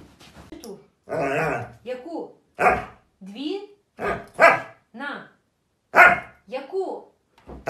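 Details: Siberian Husky, one of a group of hyperactive Huskies, giving loud barks and rising, wavering howl-like yowls in bursts roughly every second, with human speech mixed in between.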